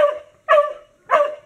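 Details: A dog that has just found a cat lets out three loud, bright barks evenly spaced about half a second apart, each with a quick rough onset and a short fading tail.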